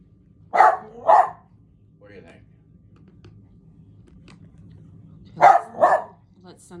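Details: Pet dog indoors giving two pairs of quick double barks, about five seconds apart, with soft human speech in between.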